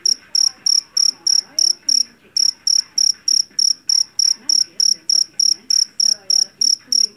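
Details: Shrill, metallic chirps from a jangkrik jeliteng, the Javanese field cricket caught in rice fields and noted for its piercing song. The chirps come in a fast, regular series of around three per second, broken by one short pause near the two-second mark.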